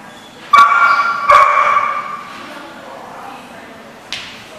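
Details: A dog gives two short, sharp barks in quick succession, each rich and ringing, then falls quiet; a single faint knock sounds near the end over low background noise.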